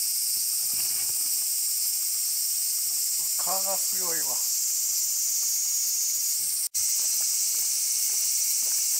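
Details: Evening cicadas (higurashi) keep up a steady, high shrill chorus on an afternoon at Fukoji temple, Kasai, central Hyogo, Japan. A man briefly speaks midway, and a sharp click sounds near the end.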